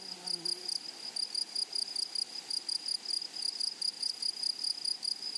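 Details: Meadow grasshoppers chirp in quick, high-pitched bursts that repeat several times a second. Faint lower tones sound briefly at the very start beneath the insect pulses.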